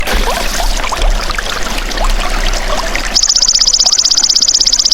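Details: Golden grasshopper (belalang emas), a natural sound used to tutor songbirds. It enters abruptly as a loud, high, buzzy trill of rapid even pulses. Before it, only trickling water is heard.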